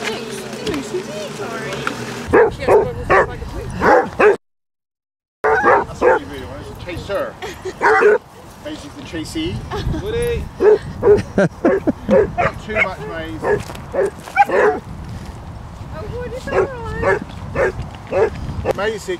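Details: Basset Hounds on a 5-mile group walk of 23 dogs around Ham Hill, Somerset, England; dense, overlapping bursts of barking and baying from several dogs at once, mixed with people talking nearby.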